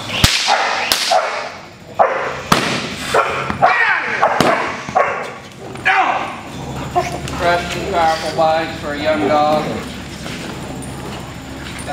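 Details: Cody, an 8-month-old sable male German Shepherd in protection dog training, barks in loud broken bursts as a helper is brought out to fire him up. A man's shouted words are mixed in and run on over the later part.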